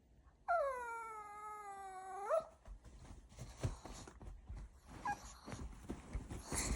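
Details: Glen the Pomeranian, as an alarm, lets out a drawn-out tonal howl of about two seconds that bends up at the end, followed by rustling and handling noises in a small room.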